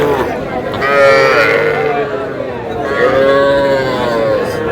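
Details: Young bulls and heifer calves at Aftabganj cattle market in Dinajpur, Bangladesh, 24 August: two drawn-out, wavering moos with rich harmonics, each lasting over a second, heard over steady background chatter of market voices.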